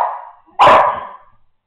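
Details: Young American Staffordshire Terrier growling at home, seemingly without cause, while rolling about; a droning growl fades, then a sudden loud rasping burst trails off in about half a second.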